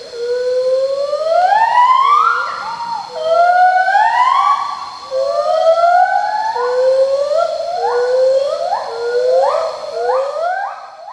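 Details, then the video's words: A pileated gibbon sings a series of rising, swooping whoops that grow quicker and more clipped. "This is the call of a gibbon. Now, this one is a pileated gibbon singing."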